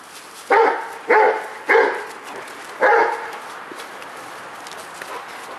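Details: Rottweiler Multi CH Jero Vom Haus Nagy, excited while going for the ball, gives four loud, mid-pitched, harmonic barks in quick succession. The first three come about half a second apart, with a gap before the fourth. The background is quiet.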